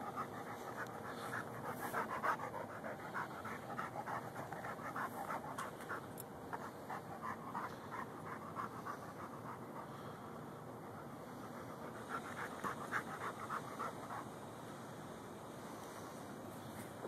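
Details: Digging for gophers, Lou the Ridgeback Mastiff mix pants hard and fast, about 200 breaths a minute in uneven rhythm, with light scraping noises throughout.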